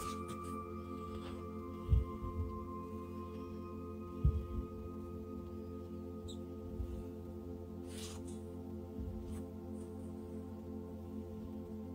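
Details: Calm ambient music with long sustained tones and a few soft low thumps, with no animal calls.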